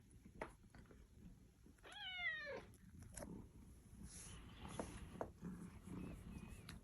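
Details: Lucy, a very affectionate, dog-like pet cat at home, gives a single short meow that rises and falls. The meow is clearly voiced and lasts under a second, set against low indoor room noise and faint rustling.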